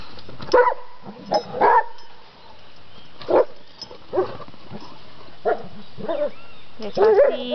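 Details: Ten-and-a-half-month-old Rhodesian Ridgeback playing with friends at a municipal campground in Tapalqué, giving short, deep, separate barks every second or two, with people talking nearby.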